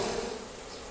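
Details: Asian honey bees in a top bar hive beside a house in Siem Reap, Cambodia, being worked slowly without smoke: a dense, steady hum, brief and constant.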